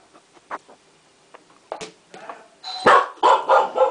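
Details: Eight-month-old female Chow Chow puppy indoors, playing with her toy when the doorbell rings; a few soft sounds and a woman's voice, then a rapid burst of about four loud, harsh barks in the final second and a half.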